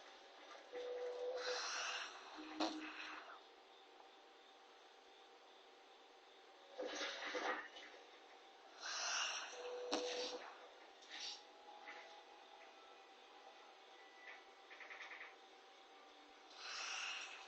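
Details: Short-legged Corgi named NANA sleeping soundly after a bath, snoring indoors: breathy, hissing snore bursts with a rough, airy texture, coming unevenly every two to three seconds with quiet gaps between.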